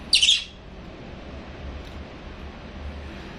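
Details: A baby monkey being fed milk gives a single short, shrill squeal, high-pitched and lasting about a third of a second, then only low room hum remains.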